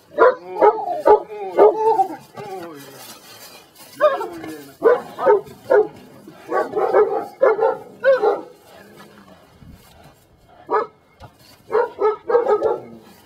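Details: Brujo, a Belgian Malinois from the des Champs kennel in Mexico, during personal protection control training: bursts of loud, sharp barks in quick irregular runs, with short pauses and a man's voice between volleys.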